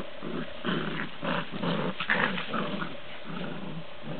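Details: Bouvier des Flandres puppies growling: low, rough rumbles in short bursts, roughly two per second, rising and falling unevenly over a few seconds, with no other clear sounds.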